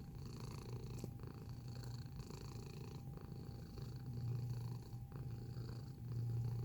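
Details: Close-up cat purr, deep and grainy, pulsing with each inhale and exhale about once a second, swelling louder in the final seconds; a thin steady hum runs underneath.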